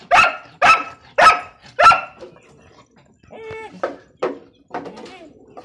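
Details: Bhagyari guardian dog from Pakistan delivers four loud, evenly spaced barks in quick succession, then quieter barks and a brief whine-like tone in a small room.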